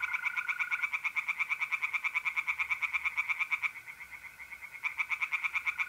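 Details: Tree frogs singing in a pond on an April night in north-east Italy: fast, rattling series of harsh pulses in long bursts, pausing briefly near the end, over a steady high trill of mole crickets.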